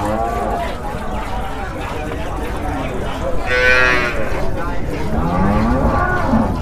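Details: Holstein Friesian dairy cow yielding forty litres of milk, shown during milking at a cattle market in Bangladesh; low drawn-out moos amid a busy crowd, with voices and faint background music.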